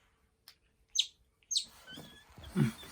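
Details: Pet otter indoors giving a few short high chirps, then a rising, noisy squeal at the end, with soft thumps and room hum in the background.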